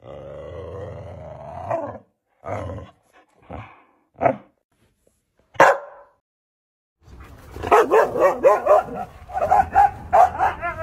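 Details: Siberian Husky barks presented as a sound effect: a run of short, sharp barks spaced about a second apart, then a dense stretch of rapid, yelping, howl-like vocalising with wavering pitch.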